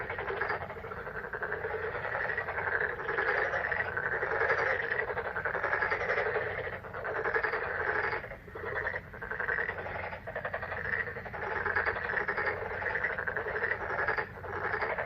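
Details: A May frog chorus, many animals calling at once in a thick, unbroken wall of pulsing croaks, swelling and fading slightly every few seconds over a low background hum.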